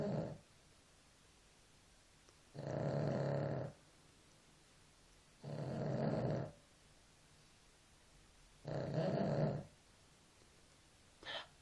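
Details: A sleeping pet dog named Nela snores in deep, rasping, low-pitched bursts about one second long, returning roughly every three seconds with quiet breathing pauses between them.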